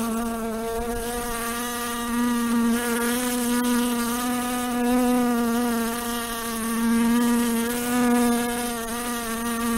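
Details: A house fly hums with a continuous, nasal drone rich in overtones, its pitch wavering only a little. The buzz swells and fades gently every couple of seconds as it hovers and shifts position.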